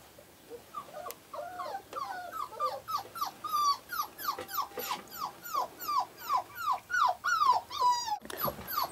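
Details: Five-week-old Australian Shepherd puppies whine in a fast series of short yelping cries, each sliding downward, repeated roughly three times a second and growing louder toward the end, with a brief clatter near the close.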